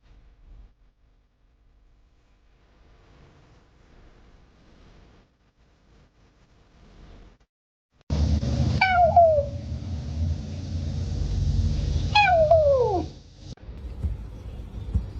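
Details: A house cat gives two clear meows about three seconds apart, each starting high and sliding down into a drawn-out wail, over a steady background hum after a quiet start.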